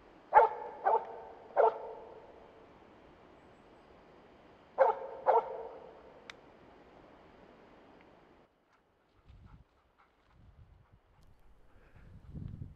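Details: Finnish Spitz baying at a moose in an autumn 2009 Finnish moose hunt, luring it toward a clear shooting line: three loud barks, a pause of about three seconds, two more barks, then quiet rustling.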